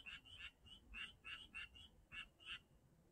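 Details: Frogs calling at Janghyeon-dong: short bright notes repeated in quick bursts, about nine calls in three seconds, faint and somewhat distant over low background noise.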